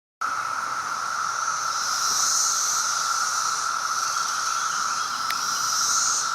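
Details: Brood X periodical cicadas in Maryland in 2021 fill the air with a steady, droning chorus that hums without a break, some flying about.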